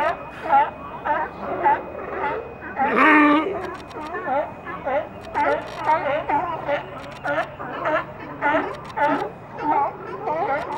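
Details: A crowd of California sea lions piled together, recorded with ambient sound; overlapping harsh, wavering barks and moans come steadily from several animals at once, with one louder, rougher outburst near the third second.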